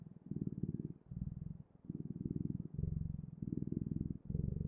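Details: Low rumbling cat purr in uneven breath-long bursts, some phases slightly higher and smoother, with short pauses between inhale and exhale.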